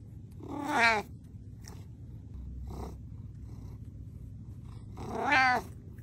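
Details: Pet cat indoors giving two drawn-out wavering meows, one near the start and one near the end, with a steady low hum and faint soft sounds in between.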